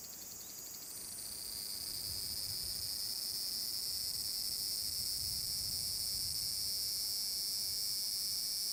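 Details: Summer cicada song from Furuta Magarikawa in Nishinoomote, Tanegashima, recorded 30 July 2022. A large brown cicada's dense, hissing drone swells over the first two seconds, then holds steady and loud.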